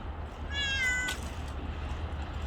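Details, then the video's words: A single clear, drawn-out meow from a stray cat, steady and harmonic, over a low background hum. "길냥이의 울음 해석이 필요해요"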